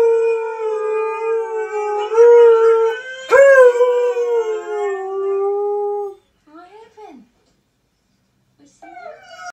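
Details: A husky howls along with other dogs in a long, steady, slightly wavering howl, then gives a few short whining yelps.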